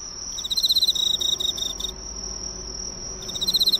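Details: Emma field cricket that came to a neighbourhood drugstore's light, singing up close: high, rapidly pulsed trill lasting about one and a half seconds, a pause, then a new trill starting, over a constant thin high whine.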